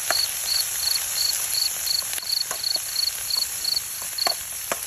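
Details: Crickets at night where a light bulb is set out to catch them; a high pulsed chirping repeated about three times per second, with scattered clicks and steady high-pitched background hiss.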